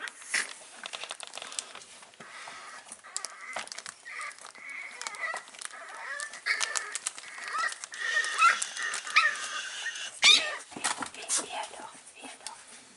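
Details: Five-week-old Staffordshire Bull Terrier puppies indoors, filmed 16 April 2019, give a steady run of squeaky, wavering whines and yelps, overlapping and rising in intensity near the ten-second mark, with light rustling and clicks between cries.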